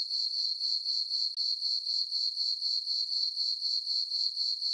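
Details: Crickets chirping on a peaceful summer night in a farm meadow under a full moon: a steady high, ringing trill pulsing about four times per second, with no other sounds.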